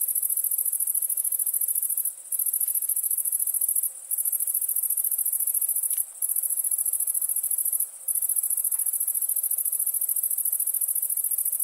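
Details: Crickets at nighttime keep up a shrill, dense trill, interrupted by four short silent gaps spaced roughly two seconds apart.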